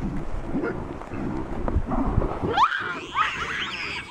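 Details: Wild, habituated troop of chacma baboons in South Africa's Soutpansberg mountains screaming in alarm at a giant rock python wrapped around a juvenile; low rumbling and handling noise first, then several sharp, harmonic screams sweeping up and down, overlapping.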